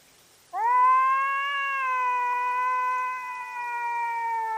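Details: Fighting cat at night on a trail camera, giving a loud sustained warning yowl: a rich harmonic moan that rises at the start, then holds almost level for four seconds with slight wavering.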